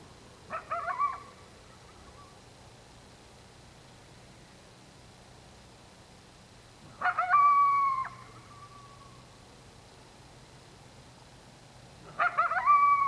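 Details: Coyote at dark, giving three short, tonal, yelping calls rich in harmonics. Some fall in pitch at the end. They come about six seconds apart against a quiet, steady background.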